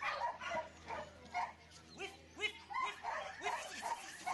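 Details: Border Collie barking in a quick run of short, sharp, mid-pitched barks, roughly two per second, some rising then falling, against a faint steady background hum.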